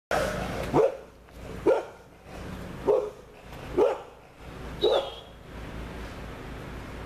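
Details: Dogo Argentino barking in a steady series of five deep single barks about every second, with a quiet steady hum in the background.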